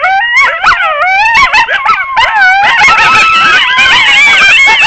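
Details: Several wild coyotes yipping and yodelling in a frantic overlapping chorus, with high wavering howls sliding up and down among the rapid yelps.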